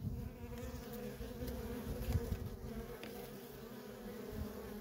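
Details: Constant hum of honey bee workers coming and going at a feral colony, a dense even drone with a brief louder swell midway.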